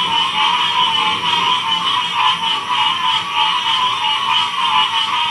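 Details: Frog chorus from Ocean Springs, Mississippi, in 2016. Continuous layered calling forms a throbbing, rhythmically pulsing hum in a middle and a higher band, with no pauses and nothing else clearly heard.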